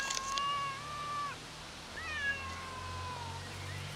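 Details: Two long meows from a cat waiting for its owner. The first is a steady, sustained wail lasting over a second; the second starts with a rising onset and then trails off. Faint low hum underneath.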